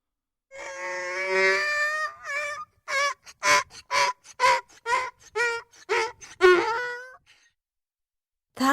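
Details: Donkey in a textbook listening exercise, one bray opening with a long harmonic-rich drawn tone, then a run of about nine short, loud, rhythmic honking pulses alternating in pitch, ending abruptly; a brief final burst follows after a pause.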